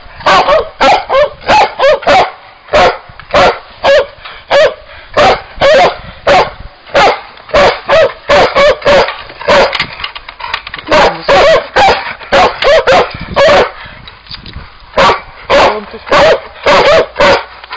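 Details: Old English Sheepdog barking in rapid bursts, sharp loud yaps repeated roughly every half second with little pause, some slightly higher yelping notes mixed in.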